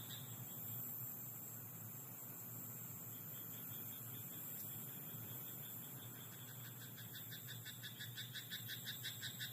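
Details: Night chorus from a rice paddy: after a long stretch of soft background hiss and hum, a frog starts a fast series of pulsed, rattling croaks near the end.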